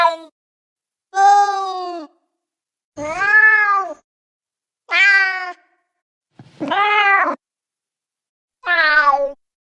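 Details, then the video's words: Cat meowing with clear pauses between calls: six separate, sustained meows, each arching or slightly falling in pitch, spaced roughly every one and a half seconds against complete silence. "Cats Meow 10 Minutes of Cats Making Meow Sounds"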